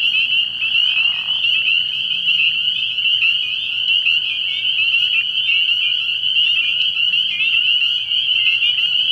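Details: Early-spring night at a frog pond: spring peepers in a dense, shrill chorus, peeps overlapping into a continuous high ring, faint low hum underneath and a brief lower rasp in the first seconds.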